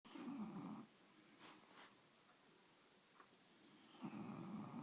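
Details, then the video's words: A female English bulldog snores snuggled on her owners' bed, loud, rumbling breaths with a quiet pause between them. "Rosie the English bulldog snoring!!"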